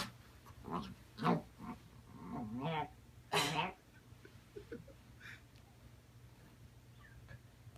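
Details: A puppy barks at a rubber chicken, giving a handful of short, high yappy barks over about four seconds, with a wavering squeal, one loud harsh burst, then quieter yips.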